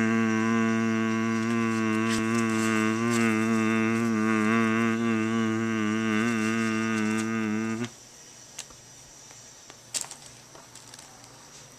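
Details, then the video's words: Pet cat named Honey humming in response to steady tones while music is mixed: a sustained, slightly wavering harmonic drone holding steady for about eight seconds, then stopping, leaving quiet room noise with a few clicks. "My cat loves humming"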